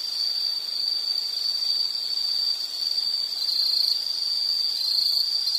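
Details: Insect trilling in a nature-sound recording: a steady, high, shrill buzz holding one pitch throughout, with brief wavering near the end and soft background hiss.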